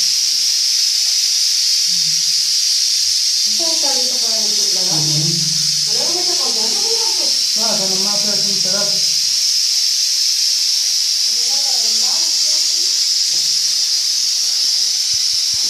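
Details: Rattlesnake found in a bathroom, giving its warning rattle when it senses danger. An unbroken, high, sizzling buzz runs from start to end beneath stretches of Spanish talk by people nearby.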